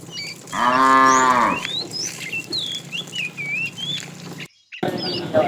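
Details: Fat cow calling a female while a tame herd is driven along in the afternoon: one loud, harmonically rich moo lasting about a second, held steady then fading, with high chirping birds around it and a brief dropout near the end.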